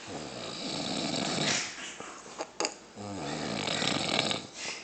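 A grizzly bear snores with rough, breathy rasps and a brief throaty rumble partway through.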